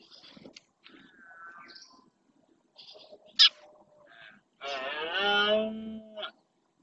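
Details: Rutting red deer male in Doñana marshes, Spain, bellowing to stake out territory: brief scattered clicks and thin sounds, then a loud harmonic roar lasting about one and a half seconds, ending with a sharp click.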